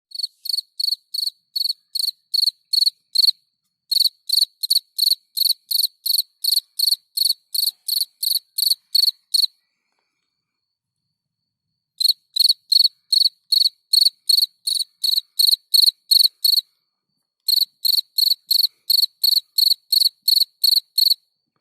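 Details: Field cricket (Gryllus campestris) singing at night: high, shrill chirps repeated about three times per second in long runs, broken by two short pauses, with no other sounds.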